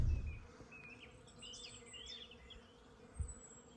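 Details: Honey bees flying in numbers around nucleus colonies at an apiary field in a rainy early spring make a low, steady hum, with thin bird chirps above and a soft background rumble.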